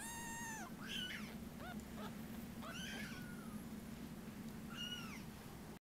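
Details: Munchkin kitten born 19 November 2017, from a cattery, giving a series of high, thin meows, some falling and some arched, with a steady low hum beneath.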